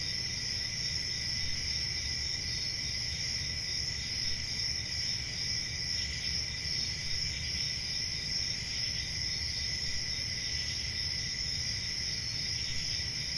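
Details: Crickets keep up an unbroken shrill chorus of several high tones, slightly wavering in strength, while a gentle low rumble runs beneath.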